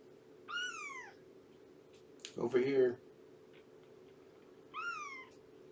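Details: Shelby, a female cat aged about two, rescued with her kittens and in the care of Purrfect Pals, gives two bright, downward-curving meows on 19 September 2017, a person talking briefly between them over a persistent indoor hum.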